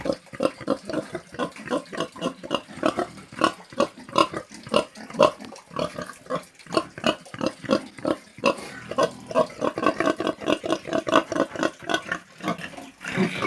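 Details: Pig on a farm in the countryside, one of the animal sounds heard most often in the fields: a steady series of short, rough grunts, roughly three per second, continuing throughout with brief pauses.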